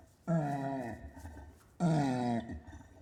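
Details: Two drawn-out orangutan grunts, each low and throaty with a gently sliding pitch, about a second and a half apart.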